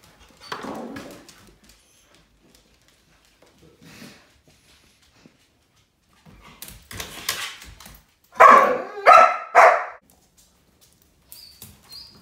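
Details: Six-month-old German Shepherd called Teddy Bear, in obedience training in Georgia and being worked on staying calm around cats, gives a brief soft yelp, then a run of harsh barks and three loud closely spaced barks near the end, with quiet gaps between.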